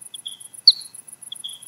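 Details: Soprano pipistrelle flying at night near an old oak, heard through an ultrasound detector; short clicking pulses in quick series, one louder downward sweep in the middle, and a regular faint ticking from the device.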